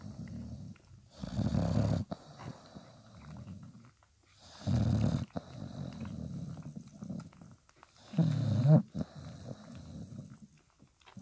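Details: Five-day-old dog puppies beside their nursing mother Spikkels; three loud, deep, snore-like grunts arriving about every three to four seconds, with softer rumbling breath in between.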